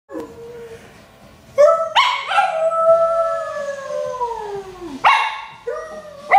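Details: A Lhasa Apso "singing", a drawn-out, quavering howl that starts high and sinks gradually over several seconds, with short sharp yelps and brief yips breaking in between the longer notes.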